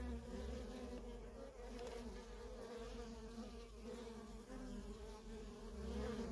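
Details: Busy entrance of a feral honey bee colony, worker bees coming and going without pause: a deep, constant wing drone with layered overtones, slightly louder at the start and end.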